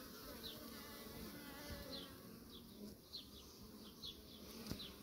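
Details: Kept honey bees humming steadily, with short buzzy fly-bys of single bees repeating across the few seconds over a dense low drone.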